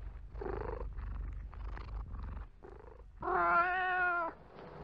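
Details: Domestic cat in a room giving soft muffled meows over low rumbling noise, then one loud drawn-out meow lasting about a second near the end.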